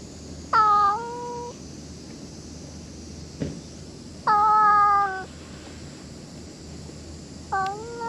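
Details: Stray cat meowing three times, each meow a clear harmonic cry that starts high, drops and levels off, spaced about three seconds apart over a faint steady background hum.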